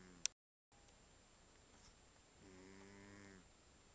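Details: Archie, a ginger cat, snoring: a single low, harmonic-rich rasping breath lasting about a second near the end of a quiet indoor recording, preceded by a brief click.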